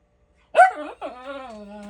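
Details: Miniature Schnauzer barking indoors for no reason: one sharp bark followed by a long, steady, whining tone that holds level.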